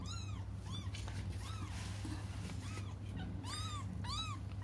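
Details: Young cats cry for their absent mother, giving a quick run of short, arching mews about every half second to second, each rising then falling, against a constant low background hum.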